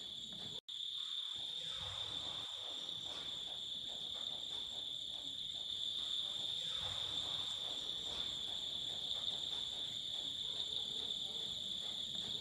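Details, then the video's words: Night chorus of crickets at Rinchenpong in West Sikkim, around 8 pm under a cloudless sky, heard from outside the hotel. A continuous shrill, even ringing tone runs throughout, with quiet speech in the background. "বাইরে থেকে ঝিঝি পোকার ডাক আমরা শুনতে পাচ্ছি।"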